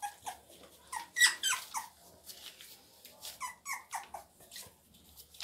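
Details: Heavy-boned Labrador Retriever puppies, offered to a new home, whining and squeaking indoors in a quick irregular run of short high yelps, several overlapping, with a louder burst near the middle.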